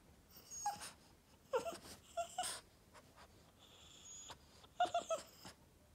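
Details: Boston Terrier Yoda, upset and whining to get attention: short high-pitched whimpers in several bursts, some quick double and triple whines, separated by pauses with soft breathy sounds between them.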